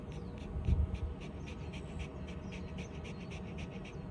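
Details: Shiba Inu Ranmaru rests on cool shaded concrete under a small hilltop gazebo after a long walk, cool breeze blowing, panting contentedly when hot or satisfied. Quick rhythmic breathy puffs, about four per second, over a steady low background hum.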